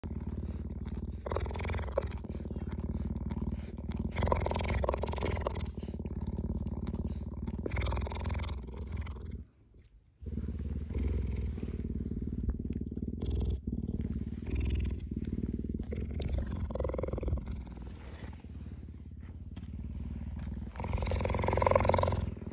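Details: Cheetah purring while licking people: a deep, steady rumbling purr runs almost throughout, swelling and easing in breathing cycles, with a brief silent break near the middle and faint human voices.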